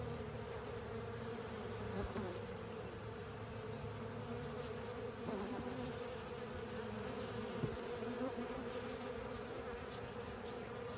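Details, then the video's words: Swarm of honey bees with other insects working over a honey filter, a continuous layered buzzing hum, loud and even, with brief clicks and bumps near the start and middle. "Honey Bees & Pals Cleaning Up A Honey Filter"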